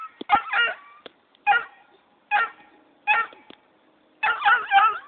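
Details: Yelping barks from Jake, a Black and Tan Coonhound puppy, at his departing owner; short single barks roughly every three quarters of a second, ending in a longer run of wavering, howl-like yelps.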